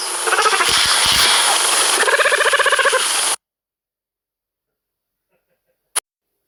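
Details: Cheetah (Acinonyx jubatus), cub chirp.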